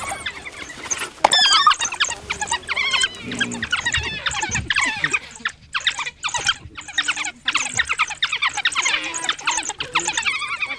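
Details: A group of African wild dogs in the African bushveld twitters and squeals excitedly in high, chirping bursts separated by brief pauses, with a few lower yelps and faint background rustling.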